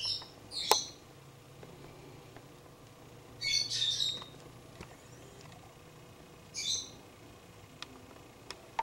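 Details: Fox pup close up on a front porch, giving short high, breathy squeaks in bursts, one near the start, a clustered run in the middle and another later, with faint clicks and a low steady hum behind.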